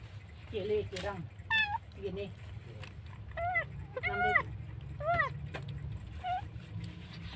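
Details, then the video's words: Kitten found abandoned by the road, meowing while being rescued. A low rough cry, then a run of short arched meows, a cluster of three close together, others spaced about a second apart, with background hum and brief human voice. "kucing menangis dibuang"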